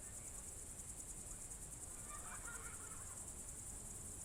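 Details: Crickets on a June evening in 2023 at the Novye Buregi tract, Novgorod Oblast, Russia: a steady, very high, finely pulsed shrill trill runs unbroken throughout, over a low rural background rumble.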